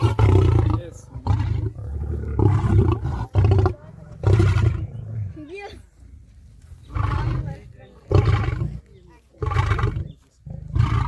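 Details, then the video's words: Lion roaring to communicate its location, show strength and intimidate lions from other prides; a series of deep, heavy, grunting roars, each about a second long, coming in close succession with a short lull midway through. "The sound of the roaring Lion"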